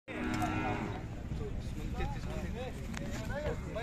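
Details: Khillari cow at the Sangola cattle market, 5 May 2024, giving a loud, deep, drawn-out moo for about a second. Chatter and scattered short sounds from the busy market follow.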